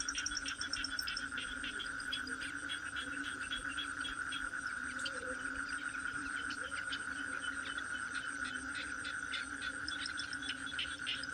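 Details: Toad calls form a constant ringing tone with a low droning band under it; busy clicking and short chirps pepper the background, with a brief higher squeak at the start.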